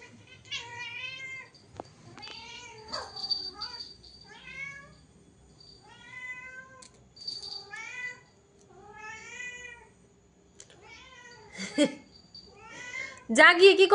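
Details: Domestic cat meowing indoors, a long run of short rising-then-falling meows, about three a second, each with stacked bright overtones, ending in a louder harsher burst of sound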